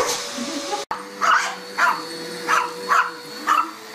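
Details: Dog barking at a vacuum cleaner: five short barks spaced about half a second apart, after a brief cut, against a constant motor drone.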